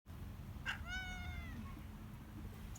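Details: A ginger cat that lives in a basement and came outside wanting food gives one clear, drawn-out meow that rises slightly then falls away, over a steady low background rumble.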